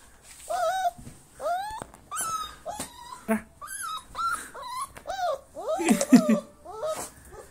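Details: Short-legged Siberian Husky puppy indoors, crying in frustration because it cannot climb onto the bed: a run of high, whiny rising and falling whimpers, several per second, with brief pauses and a few harsher yelps near the end.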